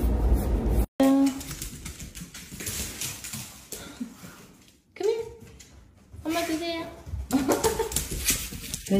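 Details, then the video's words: A clingy pet dog pestering its sister indoors gives high whining whimpers in short rising bursts, mixed with a person's talking and household clatter in a small room. "Dog is so clingy and annoying his sister a lot"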